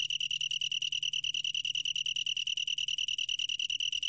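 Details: High, ringing pulsed trill of a long-tailed tree cricket, recorded in 2020, with roughly ten distinct beats per second that keep a steady pitch throughout.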